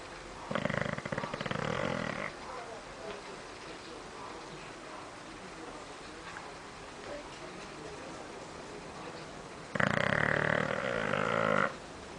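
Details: Bulldog asleep and snoring in the living room, two long rough snores about eight seconds apart, each rattling and buzzy for roughly two seconds, with quiet breathing-level background between them.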